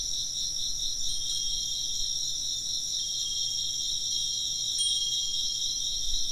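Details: Chirping insects fill the air with continuous high, buzzy trills in layered bands, while a wind chime rings faintly once early and once more clearly near the end.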